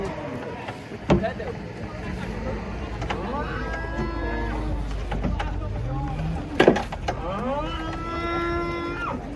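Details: Cattle being unloaded from a truck give several long, drawn-out moos that rise and then fall, amid steady vehicle engine noise and people talking and shouting nearby.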